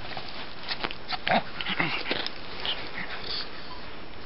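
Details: Gus, a pet pug, snorting and wheezing while playing like a cat: short, rough, breathy bursts clustered in the middle, one with a brief higher whining tone, then a quieter stretch of soft huffing.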